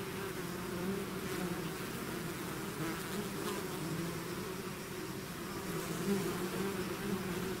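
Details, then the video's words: Steady drone of a bee swarm that has left its hive, with low buzzing tones that wobble in pitch and a gentle rise in loudness toward the end. "bees therapy swarm natural buzzing sound"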